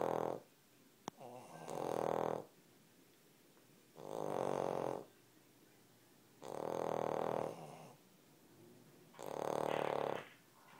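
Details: Sleeping Cavalier King Charles Spaniels snoring indoors: four long, rough, breathy snores about every two and a half seconds, each lasting around a second, with quiet pauses between.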